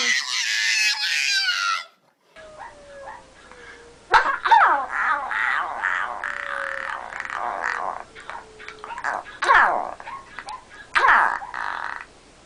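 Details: Dog making funny noises indoors in a small room, part of a compilation: bursts of growly, grumbling vocalizing with short yelps and sharp clicks after an opening burst of music, with a faint steady tone sliding slowly downward underneath.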